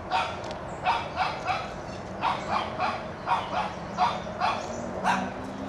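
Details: Toby, a Shih Tzu puppy aged one, barks to chase a whitetail deer off his yard: high, slightly whiny yaps grouped in pairs about every second, a low hum faintly underneath.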